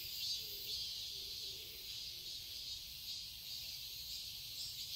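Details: Summer garden in Seoul, Korea, filled with cicadas: a thin, constant high-pitched buzz with slight flutters and a few faint low notes in the first seconds.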